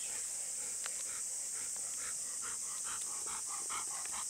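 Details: Golden Retrievers Kohaku and Bis, stopped at their usual spot by the river, asking whether they may go down to play in the water: short, high, repeated whimpering whines over a steady shrill buzzing background outdoors.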